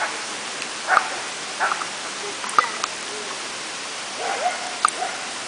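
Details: Wire fox terrier at a talent working test in water in Belgium: several short, sharp barks and yelps come in irregular bursts over steady background noise, with a woman's French voice encouraging the dog nearby.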